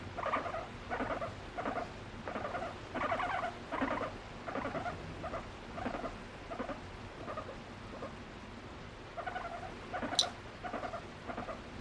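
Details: Pet female guinea pig being affectionate with her owner, using varied calls to express emotion: a run of short, squeaky harmonic notes repeated about every 0.7 seconds, fading slightly, with one sharp click near the end.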